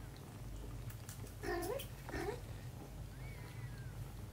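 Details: Two brief wavering meows from a mother cat and her kitten daughter during cleaning and cuddling, with soft rustling clicks around them and a faint thin whistle afterwards over a low background hum.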